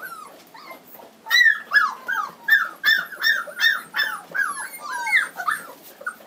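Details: Black Standard Poodle pups aged three weeks, home raised in Lodge Grass, Montana, 2012 litter, whining steadily: a run of high, bent, squealing whimpers, roughly three each second, some rising then dropping, fairly loud and close.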